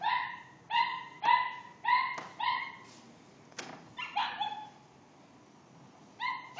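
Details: Pet dog provoked by a teasing cat, giving a steady string of shrill, ringing barks about every half second, a short pause with a softer yelp, then one last bark.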